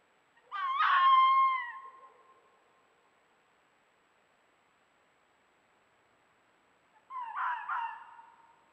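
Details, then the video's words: Courting fox, one of a pair romancing across a forested mountain in early-year mating season, making the "wow wow wow" bark: a loud, clear, wailing multi-note bark, then about five seconds of silence, then a second shorter, softer burst. "FOX MATING BEHAVIOR: The "WOW WOW WOW" BARK of AMOROUS FOXES"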